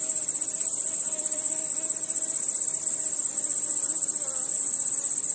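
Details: Crickets and other nocturnal insects at night under stars: a dense, steady high-pitched trilling drone with constant pulsing, and a faint low tone wavering beneath.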